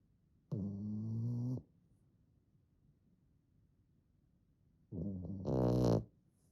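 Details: Komugi, a three-month-old fawn female French Bulldog puppy, snores like a middle-aged man: two long, rasping, droning snores of about a second each, some four seconds apart, the second louder and harsher with a noisy, wheezy edge.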